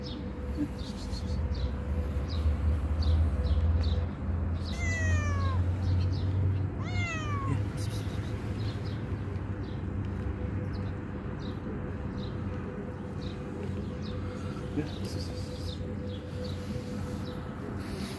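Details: Hungry homeless ginger kitten mewing twice, around five and seven seconds in, each meow a clear high cry sliding downward, over a steady low rumble of background noise.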